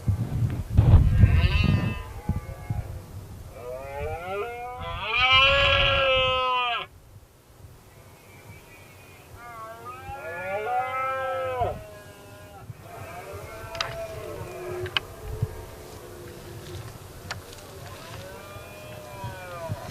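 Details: Red deer stags roaring during the 2016 rut, a dominant king stag facing a single rival male. Loud, drawn-out harmonic bellows that rise then fall, several overlapping roars from different distances, with rustling and a brief low thud early.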